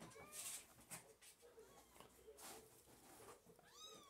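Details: Blue British Shorthair male kitten, between two and seven weeks old, giving thin, high mews: a brief cry near the start and a rising, wavering mew at the end, amid rustling and handling noises indoors.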